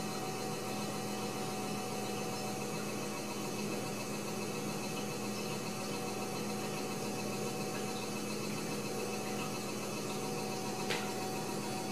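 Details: A steady electrical hum with broadband hiss fills a small indoor room, and a faint click is heard near the end.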